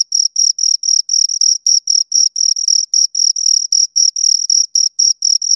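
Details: Two crickets stridulating: bright, very high trilled chirps repeated quickly, roughly four each second, some bursts slightly longer, nothing else audible.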